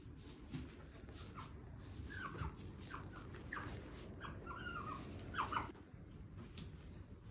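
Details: Pet otters at home: Ui pushing down and mounting Aty, a young male who arrived at nine months old, pressing him for a kiss. Short high chirps, some bending up or down, come in a loose series, loudest near the end, over quiet indoor room noise.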